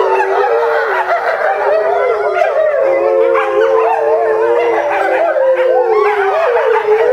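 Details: Eight eastern timber wolves, parents and young, howling together at a zoo in Japan in July 2011: several long, smooth, overlapping howls sliding up and down and weaving around each other in a continuous chorus.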